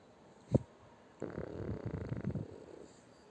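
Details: French Bulldog named Shturm, a pet, snoring while asleep tucked under a person's arm; a single sharp snort comes first, then a rough, rasping low snore that rises and fades over about a second and a half in a quiet room.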